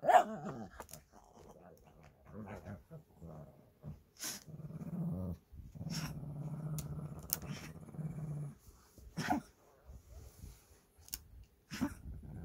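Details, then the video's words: Two Shih Tzu brothers fighting over a stuffed toy indoors: intermittent low rumbling growls, one sustained several seconds, broken by scuffling thumps and sharp clatters. "시츄형제 인형쟁탈전"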